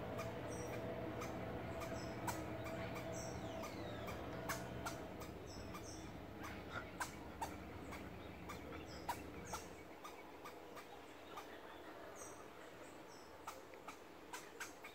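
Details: Squirrel barking in its tree at a person who climbed into it, the animal later sneaking up and biting a finger; sharp, clicky barks repeat in quick, uneven bursts over a low rumbling background hum.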